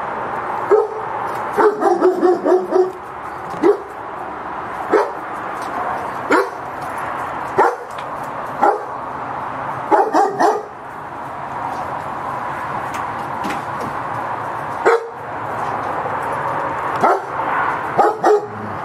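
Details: German Shepherd guard dog in Cambodia, one of two owned, barking repeatedly in short bursts, some rapid runs and some spaced a second or two apart, over constant broadband background noise.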